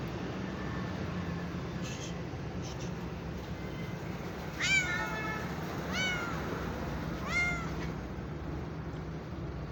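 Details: Domestic cat giving three clear, drawn-out meows, each sliding down slightly at the end, about 1.3 seconds apart. A few faint higher squeaks come before them, over a steady low hum.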